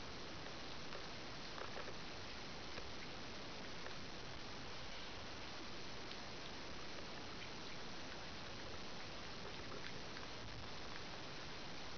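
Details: Dense, even broadband noise like rain or running water continues throughout, with no animal voice.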